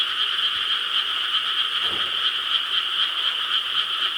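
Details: Chorus of frogs in Korean rice paddies at night, recorded 4 July 2013: countless rapid, overlapping croaks blend into an unbroken bright buzz, with a brief low thump near the middle.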